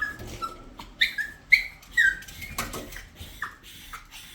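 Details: Pet dog making a string of high, sliding whines, short whistled notes that rise and fall, several in quick succession, with household clatter in the background.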